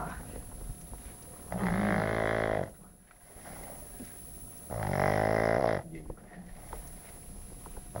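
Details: Pug named Bacon asleep and snoring, two drawn-out buzzy rattling breaths about three seconds apart, each around a second long, separated by near silence, over a constant thin background whine.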